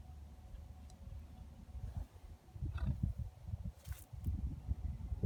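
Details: Two geldings, companions for years, make strange low rumbling grunts, a deep throbbing drone with louder pulses around the third and fourth seconds and faint background hiss.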